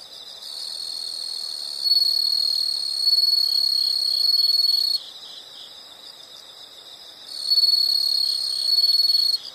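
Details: Nature-sound recording of insects: two long bursts of shrill, rapidly pulsed trilling, the first lasting about four and a half seconds, separated by a quieter stretch where only a faint rhythmic chirping chorus continues.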